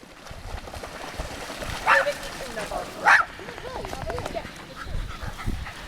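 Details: Dogs by the lake at Lida Nature Reserve on a summer day: two sharp, loud barks about a second apart, with Swedish conversation running underneath and continuing after the barking.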